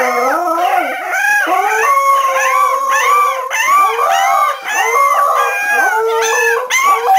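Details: Several Cardigan Welsh Corgi puppies, 3.5 weeks old, from a five-puppy litter born November 2008 at a Swedish kennel, howl together in high, wavering, overlapping cries.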